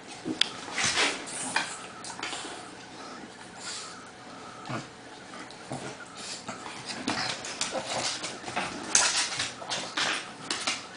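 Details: Pug and Bernese Mountain Dog, named Lucy and Crystal, wrestling indoors in play; scuffling, snorting and short whimpering yips come in irregular bursts over a noisy, broadband background of movement.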